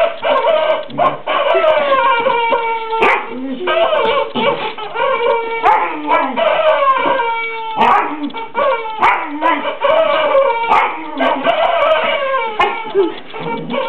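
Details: Border Collie at play with a new toy chicken named Henrietta, giving continuous high whining, yelping and howl-like cries with bending pitch, broken by short sharp yips and a few clicks.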